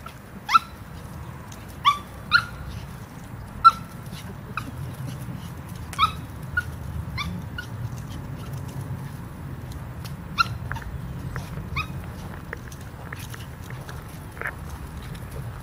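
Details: Dog barking while looking up at a squirrel in a tree that is upsetting her, on a Christmas Day walk in Community Park, Greenacres, Florida; short high-pitched yelps scattered irregularly over steady low background rumble.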